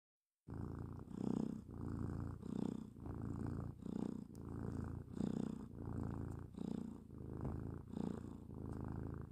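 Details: Domestic cat snoring indoors: soft, low rasping breaths that swell and fade in a steady rhythm, about one breath cycle every 1.3 seconds, after a brief silent start.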